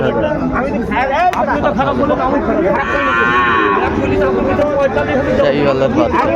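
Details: At the opening of Ambari cattle market in Dinajpur, Bangladesh, 23 February, Sahiwal bull calves low amid bargaining. One strong, drawn-out moo stands out near the middle, surrounded by lively talk and crowd noise.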